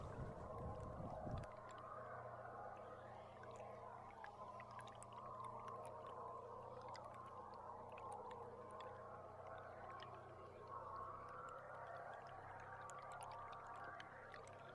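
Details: Belugas recorded underwater from a tour boat on July 16: overlapping chirps, squeaks and clicking trills fill the mid range, with a few rising whistles near the end, over a steady low engine hum and a brief thump at the start.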